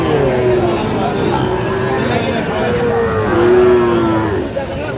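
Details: Sahiwal bull calves bought by farmers in Jamalpur, 31 August 2025: drawn-out, slightly falling moos overlap one another amid a steady crowd murmur and market bustle.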